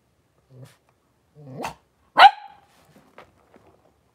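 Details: Puppy pen holding five blenheim Cavalier King Charles Spaniel puppies and their mother Paris, January 2023; a soft grumble and a short whine lead into one loud, sharp bark, followed by faint scattered taps.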